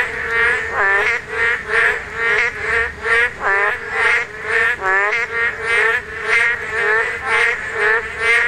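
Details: Korean narrow-mouthed toads croaking while spawning; loud, twangy nasal calls with a bending pitch repeat about twice a second, several animals alternating in a busy chorus.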